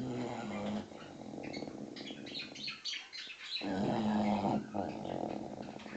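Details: Sleeping six-month-old English Bulldog puppy gives a raspy, droning snore that pauses briefly, then resumes. Noisy birds chirp busily and high-pitched over it throughout, ignored by the dog.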